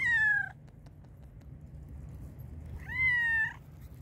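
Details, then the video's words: Black and white cat meowing loudly out of hunger, two clear drawn-out meows, the first falling slightly, the second rising then level, separated by a quiet gap with faint ticks. "black and white cat was meowing loudly because it was very hungry."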